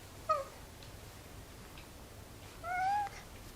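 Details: Domestic cat meowing twice: a brief clipped mew, then after a pause a longer, gently rising meow with clear harmonics, in a quiet setting.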